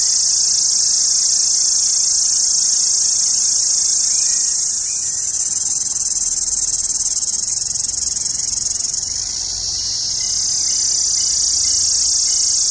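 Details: Indian summer cicadas shrilling loudly: a continuous, dense high buzz that holds steady, dips slightly in loudness around the middle, then swells back to full strength.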